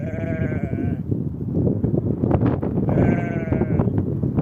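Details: Ewe and lamb on open steppe grassland in spring. A wavering bleat opens, and a second similar bleat follows about two seconds later, both partly buried in loud, buffeting wind.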